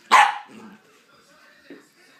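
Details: Corgi puppy playing alone indoors gives one sharp, high bark, then a softer low grumble and a brief faint yelp near the end; otherwise quiet.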